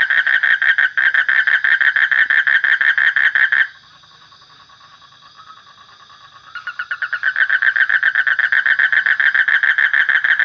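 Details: Frog call in fast, even pulses, a rattling series interrupted by a three-second near-silent stretch with a faint whine, after which the loud pulsed croaking picks up again.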